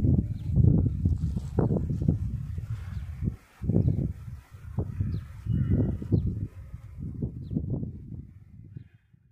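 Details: Low, throaty grunts from wild boars wandering through the snow at Murree in the 2020 snowfall, coming in irregular clusters separated by brief quiet gaps and fading toward the close.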